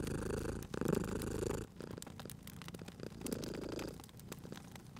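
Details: Sleeping domestic cat beside a crackling fireplace in a cozy spring setting, purring in low, rumbling bursts of about a second each with a quieter gap between, while sharp fire crackles and pops sound throughout.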